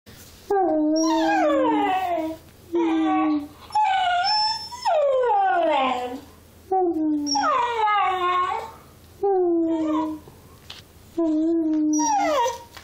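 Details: Cocker spaniel puppy howling and 'talking': a string of wavering, drawn-out howls with rich harmonics, many sliding downward, each lasting about one to two seconds and broken by short quiet gaps.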